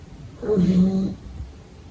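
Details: A sleeping pug puppy gives a single low, rattling snore with a droning buzz at its core during a daytime nap.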